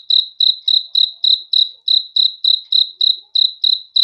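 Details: Crickets chirping at night, a regular train of shrill, clear pulses about three to four per second, each chirp ringing and slightly rough, over a calm, otherwise silent background.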